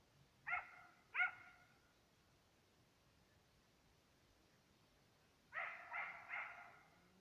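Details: Serbian hounds, two dogs hunting on the trail of fox and roe deer, give far-off, tonal barks. A quick pair opens, then a long silence, then a rapid run of three clustered barks near the end.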